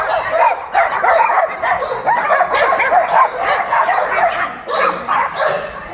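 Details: Many abandoned dogs barking together at a shelter in Yangsan, South Korea: dense, overlapping mid-pitched barks and yips without pause, with a few louder bursts standing out from the chorus.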